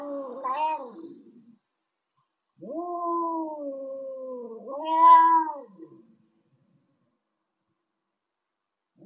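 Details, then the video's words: Arguing cats trade long, wavering, tonal yowls, one short wail, then a sustained moan that swells louder before fading, with silent gaps between outbursts. "Cats arguing"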